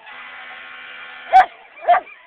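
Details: Sadie, a pet dog at Sunset's annual parade, gives two sharp barks about half a second apart. She is reacting to a wailing siren that drones steadily beneath them.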